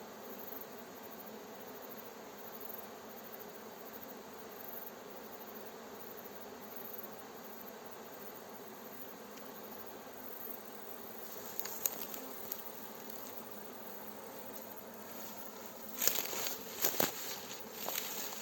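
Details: Fresh honey bee swarm being gently guided into its hive by a beekeeper, near villages: a steady, diffuse droning hum throughout, with sharp crackles and snaps of dry branches underfoot in the last seconds.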